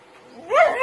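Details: A Siberian Husky puppy acting wild gives a brief, rising, tonal yowl that swells quickly and then levels off.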